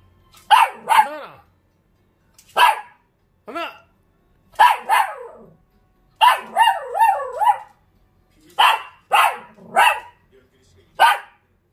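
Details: Short-legged Dachshund talking back to a man, giving a long run of yapping barks, some rising and falling into whiny, yodel-like notes, in clustered bursts with short silences.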